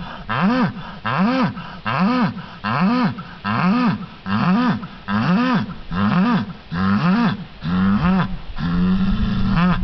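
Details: Red Angus bull named Brutus hooting and hollering: deep, harmonic bellows that rise and fall in arches, repeated roughly every 0.8 seconds, about eleven in a row, the last drawn out and steadier.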